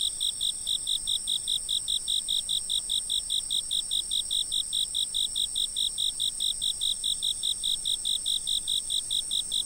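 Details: Insects calling, filmed by a fixed camera: a steady run of short, bright chirps pulsing a little over twice a second over a continuous high, thin ringing drone, with no other sounds.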